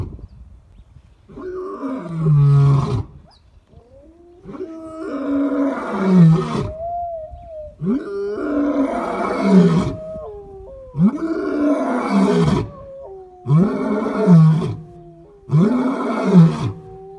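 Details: Acinonyx, a white lion, roaring; the roar is given to communicate with pride members and establish territory. Deep, loud moaning roars repeat in a series about every two seconds, each swelling then falling, with lower grunts between.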